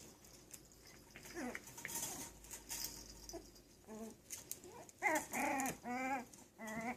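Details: Yorkshire Terrier puppies playing, giving short whimpers and yelps with harmonic, arching tones, a few faint at first, then louder bursts repeated about twice a second toward the end, over light scuffling noise.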